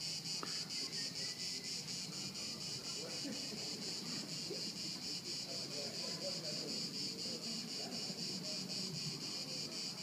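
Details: Cricket chorus at Haut-de-Cagnes, 2013: steady high pulsed chirping over a rumbling, wind-like low background with scattered faint sounds.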